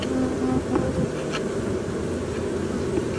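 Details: Honey bees of a live colony being removed from an apartment soffit above a window in July 2023; a steady, dense droning hum holds throughout with small fluctuations in loudness, no speech over it.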